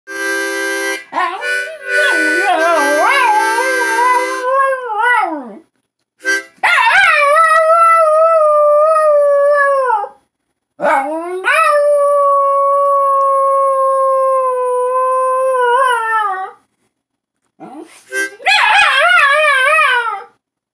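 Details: Dog howling along to a harmonica: after a brief harmonica phrase, long sustained tonal howls with rich harmonics, each held several seconds with slight wavering pitch and falling tails, separated by short pauses.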